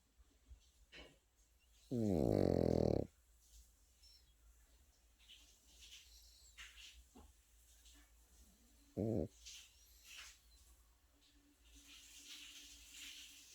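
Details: A sleeping Pekingese puppy gives one long, loud, rasping snore lasting about a second, then a much shorter snore near the end of the pause; faint rustles and small room noises in between.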